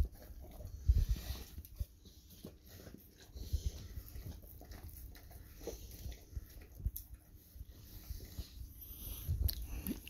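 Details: Golden Retriever wolfing down its usual breakfast indoors: low, dull chomping and crunching bursts throughout, with the loudest bites near one second and again near nine and a half seconds over quiet room noise.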